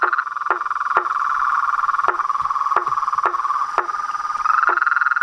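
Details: Frogs, toads and treefrogs singing after dark at a reservoir in front of a veranda: an unbroken ringing trill with regular percussive knocks about every half second, forming a lively, chaotic chorus.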